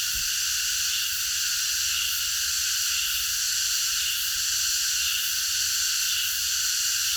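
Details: Night chorus of many cicadas in a park, an unbroken high, shimmering buzz holding an even loudness throughout, with only a faint low rumble underneath.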